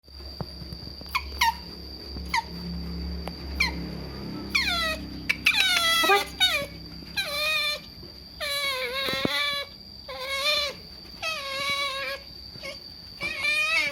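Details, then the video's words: Otter making strange noises for food: scattered brief squeaks give way to loud, harmonic screams that slide downward, repeated in quick bursts, over a steady thin high whine. "Otters Making Strange Noises For Food Compilation 2022 - Screaming & Weird Noises"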